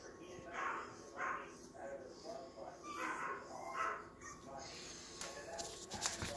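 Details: Two Yorkshire Terrier puppies, babies of Vern, a silkie coat Yorkie, give soft high whimpering whines, about five short rising cries spaced roughly a second apart, over a faint background hiss and a few clicks near the end.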